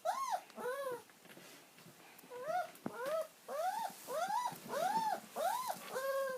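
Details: An old pet dog whines as it waits for its owner's return. A steady run of about nine short, arched, nasal whimpers comes roughly every half second against a faint background hiss.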